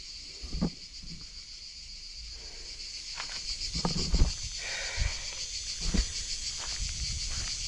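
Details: A steady, high, shrill trill from crickets in a deep forest, with footsteps thumping underneath.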